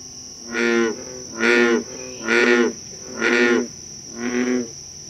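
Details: An American bullfrog (Lithobates catesbeianus) in Concord, Massachusetts, gives a series of deep, twangy croaks, about one each second.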